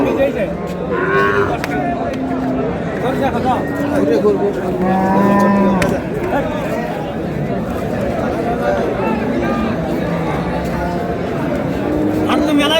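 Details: Cow with calf at the Ambari cattle market in Dinajpur, Bangladesh, on Friday, March 13, 2026: low, drawn-out moos rise through steady market crowd chatter and voices, with several lowing calls spread across the recording.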